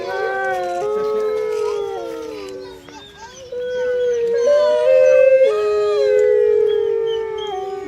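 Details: Group howl of grey wolves kept at Artis Zoo, 10 November 2013, calling to tell pack members where they are and warn off rival packs; layered, sliding howls with a brief dip before voices rise louder again, people murmuring faintly.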